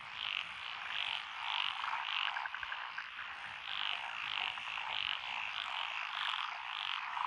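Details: Frog chorus in lotus rice paddies along a country lane in Echizen, Fukui, Japan, June 12, 2021, with tree frogs, pond frogs and others calling; dense overlapping croaks and bright repeated pulsed notes, a steady background din.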